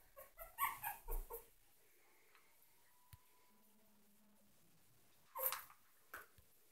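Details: A Yorkshire Terrier puppy gives a quick burst of high yips and whimpers, then a couple more.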